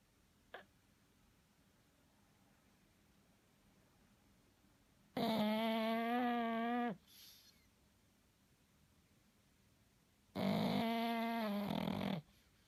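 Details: Pug asleep and snoring, two long raspy drawn-out breaths about five seconds apart, each nearly two seconds of steady buzzing tone, with a faint click and soft room hush between.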